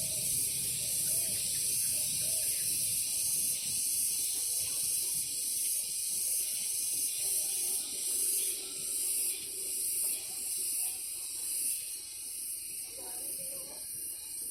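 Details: Cicadas in a morning garden, calling alternately and in unison: a piercing buzzy hiss beating in regular pulses, roughly three per second, the low background fading as the chorus dominates.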